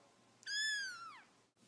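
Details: A pet cat gives a single clear meow lasting under a second, rich in harmonics, holding steady then sliding downward at the end, in a quiet indoor setting.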